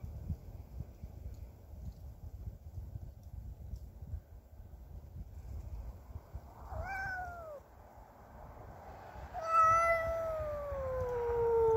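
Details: Territorial yowling by Cassey the cat toward an intruding neighbour's cat: low rumbling background, a short falling wail near seven seconds, then a loud prolonged descending howl from nine and a half seconds to the end.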